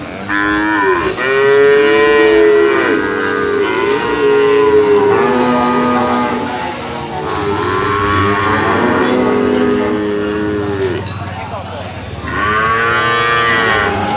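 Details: Penned jumbo sacrificial cattle over 500 kg awaiting weighing: several drawn-out, rich moos follow one another, some rising and falling, with overlapping calls and a brief lull before a final loud bellow.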